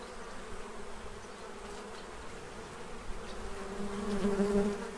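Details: Autumn feeding bees in Central Illinois preparing for winter; a low background hum that swells near the end as one bee approaches, its buzz rising in strength with a clear overtone.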